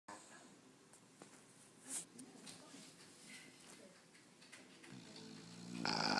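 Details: Chloe, a bulldog, asleep and snoring: soft, raspy breaths repeating in a loose rhythm, a brief louder snort near the start, and a rising hiss of noise at the end.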